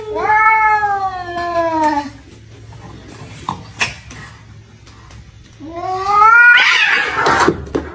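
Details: Fighting cats, one of them injured, trade caterwauls: a long descending yowl, a lull with faint scuffling and rustle, then a louder rising, strained howl that breaks harshly at its peak.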